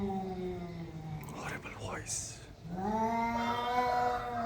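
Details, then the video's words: Two cats facing off in a confrontation: long, low, drawn-out wailing yowls with a rich harmonic tone. The yowl wavers, fades to a pause mid-clip, then swells back louder and rises slightly. "Cat vs Cat "The ultimate face off" Horrible sounds"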